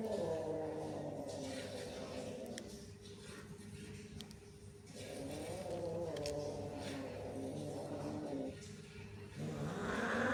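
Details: Cats growl at one another in drawn-out, throaty, quavering swells, one after another with brief dips between. A constant low drone runs underneath, and a brighter rising sound enters at the very end.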